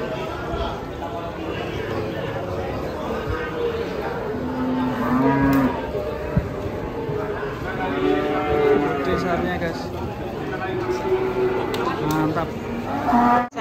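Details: Pegon cattle, a pair of giant animals nearly a ton each, one weighed at roughly 850 kg, giving drawn-out low moos, some rising and falling, repeated through the stretch while people talk quietly nearby.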